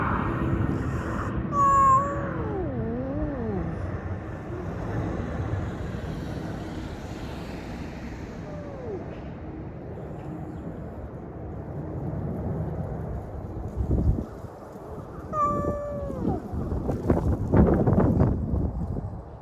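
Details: Sleepy community cat meows several times, with wavering, bending tones early on and a sharper pair of meows at fifteen seconds, set against constant low background traffic noise and some rustling.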